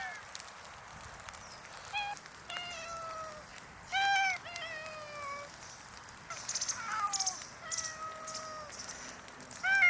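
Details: Hungry community cats in a park by the Tama River on a snowy morning, meowing more than usual while waiting for food; several overlapping, falling meows with strong harmonics, some long and drawn out, over a steady background hiss.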